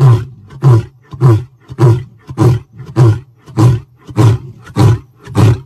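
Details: A lion gives a steady series of about ten deep, chesty grunts, evenly spaced at roughly 0.6-second intervals, powerful and rhythmic with short silences between.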